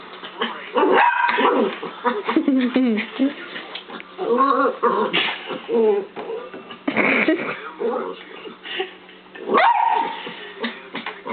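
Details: Scarlet, a pet dog, barking at a laser pen indoors: sharp, irregular barks and yips in quick bursts, mixed with overlapping human speech and talk from a television insurance advert.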